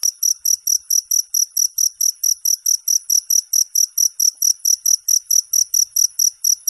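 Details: Steady high-pitched cricket chirping, taken from a ten-hour non-stop recording: a continuous string of evenly spaced shrill pulses, roughly four per second, with nothing else audible.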